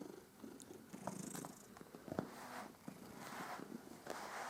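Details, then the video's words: Cat purring softly during fur grooming, a low rumble partly covered by rustling and brushing noises through the fur. "Katze schnurt bei der Fell Pflege"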